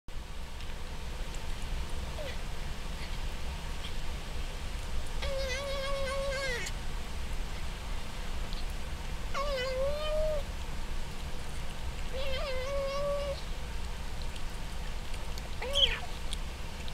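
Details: Herschel, a pet cat, chewing and meowing at the same time while eating; four drawn-out tonal meows spread across the clip, each sliding slightly, over a steady low background hum.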